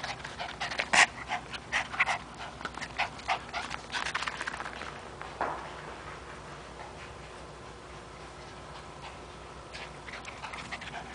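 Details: Three-year-old pet Chihuahua terrier named Toby playing with a rope, giving quick breathy pants in bursts over the first half, then fading to quiet background for the rest.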